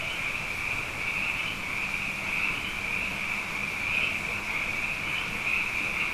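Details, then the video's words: Abundant frogs calling night after night following two wet years; an unbroken, shrill, buzzy chorus, slightly wavering in loudness, with no other clear sounds. "Frog Songs: Na Mele o nā Paloka"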